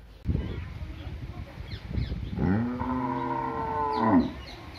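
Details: Cow on a village farm giving a long low moo, a drawn-out harmonic call of about two seconds that swells and ends with a rising bend, after a few softer grunts and rustling noises.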